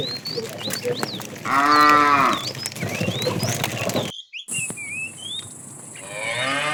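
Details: In the afternoon, a fat cow in a herd of tame cows being herded gives a loud, drawn-out moo to call a female, with small birds chirping around it.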